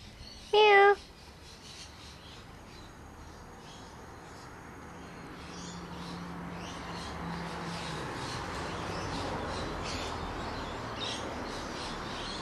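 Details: Pongo, a family pet cat, gives one short, loud, tonal meow near the start, followed by a long stretch of quiet outdoor background with faint high chirps.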